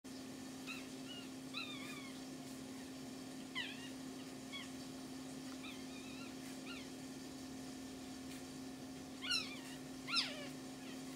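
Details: Pomeranian puppies with their mother give thin, high squeaks: brief rising and falling chirps, scattered irregularly, with two louder cries near the end, over a steady low hum.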